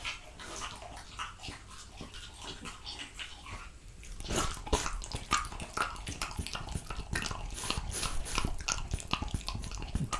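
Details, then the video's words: French Bulldog eating raw quail, lamb kidney, diced lamb and beef testicle indoors; irregular wet chewing, smacking and crunching, quieter at first and louder and denser after about four seconds. "ASMR French Bulldog Eating Raw quail, lamb kidney , Diced Lamb & Beef Testicle MUKBANG"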